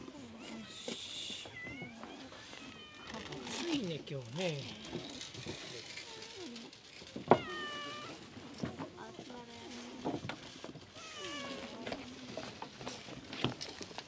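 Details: Stray cats at lunchtime on an island, a group calling for food; many overlapping meows, some drawn-out and wavering, rising and falling, with human speech and handling noises in the background.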